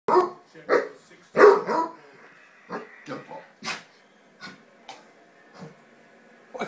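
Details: Two Basset Hounds give deep, throaty barks and yowls with a person talking, as one shows the other she isn't ready to be friends a couple of hours after their first playtime.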